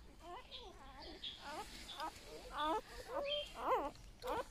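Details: Newborn golden retriever puppies from a litter of eight, handled indoors: a rapid series of thin, wavering whimpers and squeals, some rising and falling in pitch, with a person talking softly between them.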